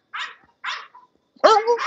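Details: English Bulldogs at the Old Red English Bulldogs Kennel: two short, rough barks half a second apart, then a louder, drawn-out tonal sound that wavers in pitch, in otherwise quiet surroundings.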